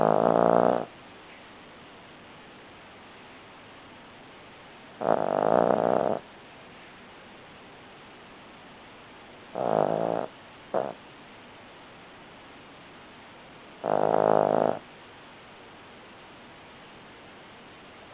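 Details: Buddy the Cavalier King Charles Spaniel snoring while asleep: four raspy, buzzing snores come about every four to five seconds, the third broken into a short double stutter, with quiet pauses between.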